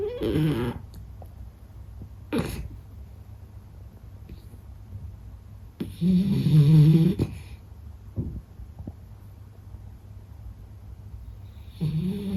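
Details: Meta, a Beagle, asleep and snoring. Deep, buzzing snores come roughly every six seconds, with a loud rumbling one in the middle, faint breathing and a few soft clicks between them in a still indoor setting.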